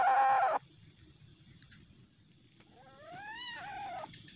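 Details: An aggressive young Asian palm civet, angry at night, gives a harsh hissing burst, then a rising and falling nasal wail.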